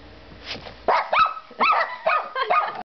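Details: Two pet dogs, one black and white, barking at a baby doll indoors; a soft whine, then a series of sharp, ringing barks about every half second, five in all.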